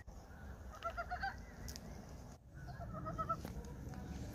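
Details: Two short runs of quick rattling croaks from frogs at Gyeongchip in early spring, separated by a brief lull, against continuous low background noise.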